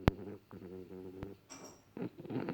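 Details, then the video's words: A French Bulldog asleep and snoring indoors: low, rattling, harmonic breaths in short rhythmic bursts, with a couple of sharp clicks between them. "Sleeping frenchie snoring french bulldog"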